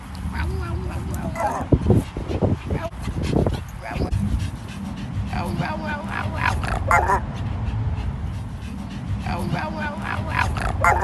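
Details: Black-furred male chihuahua with a grey face barking in a hoarse voice, short rough harmonic barks and yips in irregular bursts over steady low rumbling wind or traffic noise, with speech nearby.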